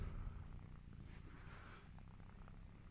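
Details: Sleepy Devon Rex kitten purring: a low, steady rumbling throb close to the microphone, continuous for the whole few seconds with no pauses.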